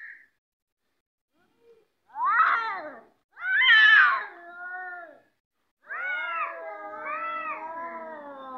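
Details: Domestic cats squaring up to fight: harsh rising yowls at about two and three seconds, then a long wavering caterwaul with many bright harmonics from six seconds to the end, short quiet gaps between.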